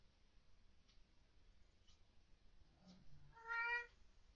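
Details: Housecat meowing at night indoors, reportedly upset by ghosts or orbs; one short, flat, harmonic-rich meow near the end after faint soft sounds, in a quiet room.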